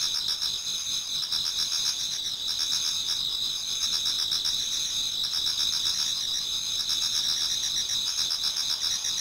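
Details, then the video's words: Autumn insects in a Japanese garden chorus as dawn approaches, producing unbroken shrill ringing bands overlaid with fast, evenly beating trills; the many singers merge into one steady wall of sound without other noises. "Autumn Insects voice Towards dawn"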